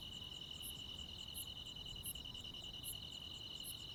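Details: Crickets and other insects on a summer night in the countryside: a steady high, shrill trill holds without pause, while sharper, higher ticks repeat about every 0.7 seconds over a faint low background hiss.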